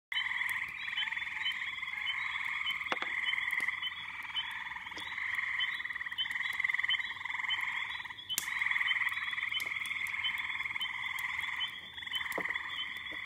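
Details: Backyard pond in May with a dense chorus of many frogs and little peepers: a continuous, shimmering wall of high peeps and trilling calls, steady throughout, with a few brief clicks.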